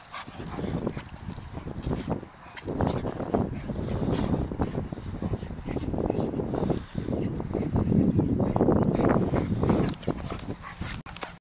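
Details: Two young dogs, a Staffy of seven to eight months and an 11-month American Bulldog named Karma and Gypsy, playing together; continuous low rough growling and grumbling with short snorts and yaps, loudness rising and falling throughout.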